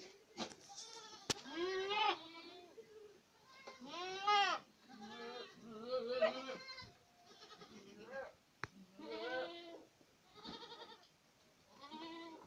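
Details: Several Boer goats in Acatlán de Osorio, Puebla, calling in turn with quavering, nasal bleats that bend upward then fall, spaced roughly every one to two seconds, with a few sharp clicks or knocks between cries.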